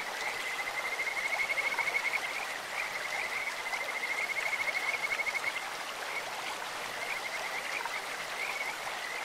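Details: Kajika frogs calling in a clear stream: a high, sweet, whistled trill held steady for several seconds, then shorter broken trills, all over a constant rushing hiss of flowing water.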